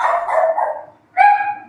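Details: Neighbour's German Shepherd (herder) barking during a live stream; two short harsh bark bursts separated by a brief pause.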